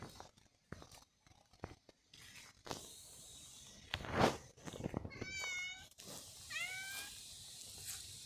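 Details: Lil' Nero, a cat, gives two short meows near the end, each a brief falling tone, after a stretch of scattered clicks, rustling and handling noises indoors.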